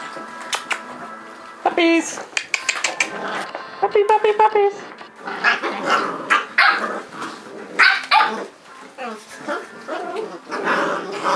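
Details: Eight-week-old Cardigan Welsh Corgi puppies, a litter of seven, playing rough: rapid clusters of sharp high barks and yelps, with squeals and growly scuffles and a human voice mixed in.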